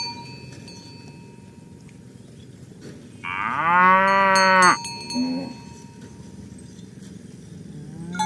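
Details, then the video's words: Tame herd cattle moving to the pen in the morning: one clear moo of about one and a half seconds, level then falling, with a short grunt after it and cowbell-like clinks around it. "Suara Sapi Moo"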